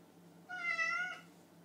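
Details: A hungry house cat, upset that its owner stayed late at work, gives a single drawn-out meow lasting under a second, rising then softly falling, with a quiet low hum in the background.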